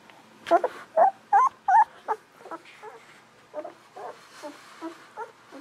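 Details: Golden Retriever puppies aged 11 to 13 days, from the litter of Aiko of Haarby and Lady Dina, give a run of high squeaky whimpers. Four loud wavering squeals come close together, then softer chirps repeat about every half second.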